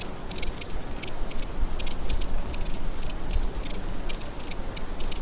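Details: Crickets at night, with clear sharp high chirps repeating in quick irregular bursts above a steady piercing insect buzz, plus noticeable low rumbling background noise.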